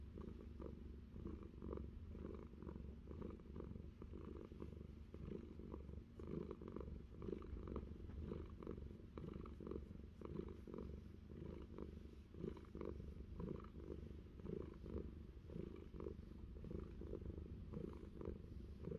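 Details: Long, unbroken purr from pet cat Fluffy on a New Zealand orchard while being scratched behind the ear; a rough low hum beats in steady breath cycles, dotted with small scratching and rustling clicks throughout.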